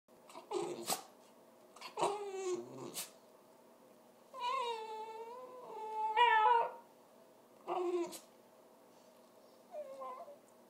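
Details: Domestic dog making funny noises: drawn-out, whiny tonal calls that waver and bend in pitch, in several separate bursts with short pauses between, heard indoors.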